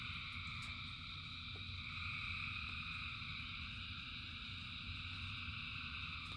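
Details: Frogs in rain form a continuous massed chorus of high buzzing bands, rising slightly in volume mid-clip, backed by a rumbling downpour and intermittent drip taps.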